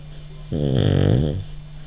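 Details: A male French Bulldog snores while sleeping and jiggling, as if dreaming. A single rumbling, buzzy snore lasts about a second over a steady low hum.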